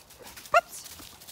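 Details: Sheepdog on a regenerative farm in County Kilkenny, Ireland, being called away from ewes and lambs that are cross about the dogs; a single short, tonal yelp with clear harmonics, about a tenth of a second long, over a quiet background.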